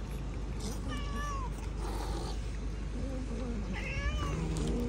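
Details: Domestic cat giving two short, bending meows a few seconds apart over steady background hum and low rumble.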